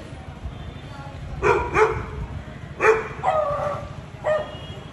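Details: A Beagle barks in abrupt, punchy bursts, a pair followed by a few more single and doubled barks, to communicate with a Labrador, against a steady low background hum.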